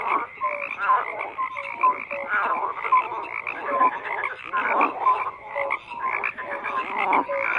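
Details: Dense frog chorus: numerous callers croaking at once, with clear short whistled notes recurring roughly every half second over a continuous buzzing, pulsing background of further croaks.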